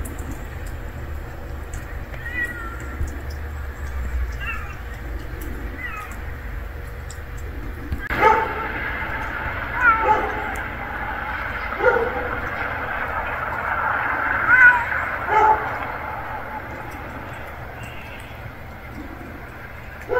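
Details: Hungry stray kitten meowing, with faint calls early on, then a run of loud, harmonic, wavering meows repeated every second or two from about the eighth second, over a low steady background hum.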